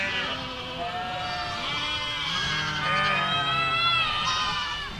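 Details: Goat herd crossing a village, a steady stream of overlapping drawn-out bleats with layered harmonics, swelling slightly in the middle, with low rumbling beneath.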